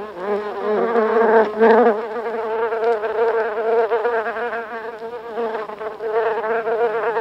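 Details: Buff-tailed bumblebees, several together in their nest in the U.K., recorded close; a loud, steady buzzing drone with layered humming tones and brief louder bursts early on.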